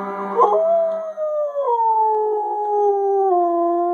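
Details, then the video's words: Spirit, a pet Siberian Husky, howling: a long sustained tonal howl that holds steady, then steps down in pitch twice, preceded by a brief yelping onset. "Siberian Husky Howling"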